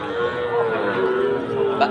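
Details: Sahiwal bull calf at the Aftabganj cattle market, Dinajpur, Bangladesh, 4 March 2023: a sustained, steady low moo lasting nearly two seconds over crowd chatter and background noise.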